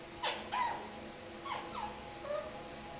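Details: Three-month-old pet kakariki in a shower uttering funny squeaky calls: a few brief whining notes with falling pitch, spaced apart over a constant low hum.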